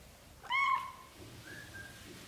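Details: British Shorthair cat household where a black golden mother carries her newborn kittens into a small nest; one loud, clear meow with stacked harmonics lasting about a third of a second, followed by a faint higher mew in a quiet room.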